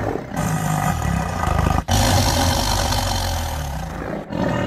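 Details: Powerful low tiger roar, heavy rumbling tone with a harsh rasp, briefly cut off near the middle and then resuming just as loud.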